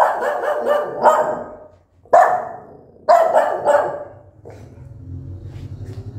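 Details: Angry mother dog barking loudly at her newborn puppies; a run of rapid, rough barks, then single harsh barks at about two and three seconds, fading into a low rumbling noise.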